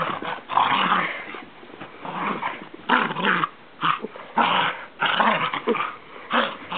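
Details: Pet dog indoors, being handled and rolled over after sleeping all day; repeated rough growling grumbles in bursts about every second, mixed with breathy snorts.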